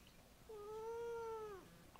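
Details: Siamese cat indoors complaining about a messy table: one drawn-out, steady, harmonic-rich meow lasting about a second, holding its pitch before sliding down at the end, in a quiet room.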